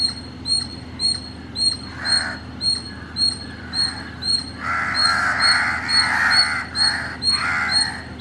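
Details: Indian palm squirrel in Chennai, Tamil Nadu, giving a call it makes especially in the early morning: sharp, high chirps repeated about twice a second, joined midway by harsher, rasping bursts that swell and fade in rhythm.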